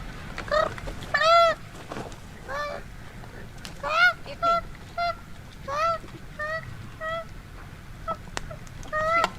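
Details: A terrified koala, pulled by a woman from a tree in a burning forest, gives harsh, wailing distress cries, repeated about every second.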